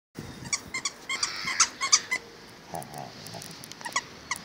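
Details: Akita dog indoors making funny high squeaky sounds, a run of short bright yelps and whines in quick irregular bursts, fading to softer murmurs near the end.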